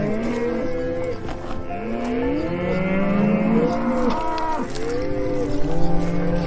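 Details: A herd of cows lowing in a dense chorus, many overlapping low moos bending upward and downward, calls following each other without pause and growing slightly louder toward the end.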